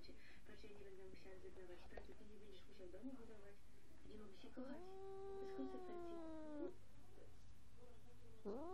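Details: A Sphynx cat, which habitually makes such odd sounds, gives a long, drawn-out meow that rises, holds, then falls away.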